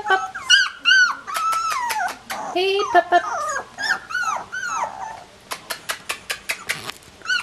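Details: Collie puppies sixteen days old whimper and squeal in high, arching whines that rise and fall, then give a quick run of short, sharp yelps near the end while a person speaks gently to them indoors.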